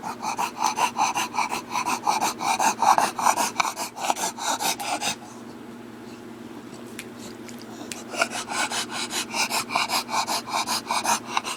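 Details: Heavy, rapid rasping breaths from a bulldog, about two to three per second, pausing into near quiet for a few seconds midway before the snorting breathing resumes.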